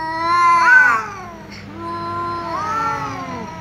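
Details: Tom cat meowing angrily because a ginger cat keeps meowing; a loud rising yowl peaks early, then lower drawn-out wails overlap as two cats call against each other.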